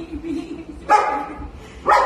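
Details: Walter the golden retriever, in a basement at his reunion with his owner after nearly a year lost in the woods, gives two sharp barks a second apart. Low human voices murmur beforehand.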